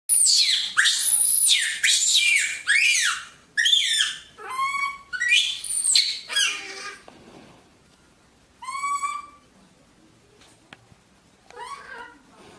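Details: Sam, a pet monkey raised in Vietnam, screams while discovering its owner's bedroom: harsh, very high bursts in quick succession, broken by clear rising-falling whistled cries that repeat several times with brief quiet gaps.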